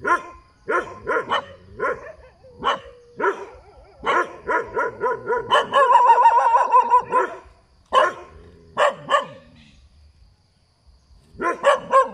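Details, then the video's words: Dog barking by the roadside: bursts of sharp harmonic barks and yips, some quick runs of several barks, a longer rough stretch near the middle, then a pause before a final cluster of barks. "เสียงหมาเห่า อยู่ข้างถนน"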